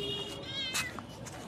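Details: Office cat, out at midnight and fed biscuits bought from a shop, gives one short harmonic meow that rises and falls in under a second, after a soft coaxing call from a person nearby.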